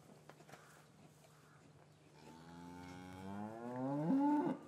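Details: Cattle in a traditional English farm yard on a winter afternoon, calves separated from their mothers; one long moo starts low and swells, rising and climbing in pitch to a loud, strained end, over a steady low hum.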